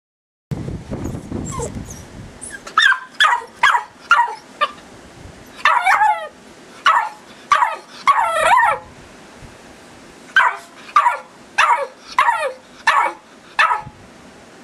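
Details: Tara, an eight-week-old female Irish Terrier puppy, barks because she is being filmed: after a quiet low rumble in the first two seconds, high, sharp yapping barks come in irregular bursts, about fourteen in all, some doubled.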